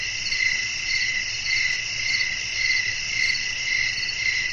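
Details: Crickets calling at night with wind: a shrill continuous trill that swells gently about twice a second, over soft low background noise.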